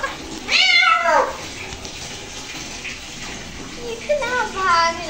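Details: Cat during a bath gives one loud falling meow, then running water fills the pause before a softer pair of rising cries, with a voice faintly heard.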